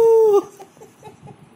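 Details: A meerkat in India gives a single steady, whining tonal call that dips slightly at its end.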